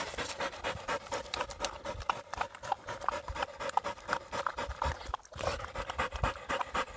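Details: Husky dog panting hard while tracking a pregnant deer through mountain woods on a walk in South Korea; rapid, steady breathy puffs repeat through the clip with rustling from movement.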